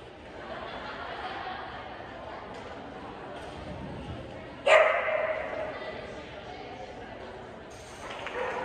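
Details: Boston Terrier at an AKC Boston Terrier Club event in January 2022 gives one sudden, sharp bark midway, ringing briefly in a reverberant space, while people talk steadily in the background.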